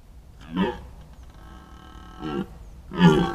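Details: Red deer stag calling at the rut, captured by a trail camera in a year when fewer bulls came than before: three short, hoarse, harmonic bellows, the last one loudest, separated by pauses of over a second against quiet background hum.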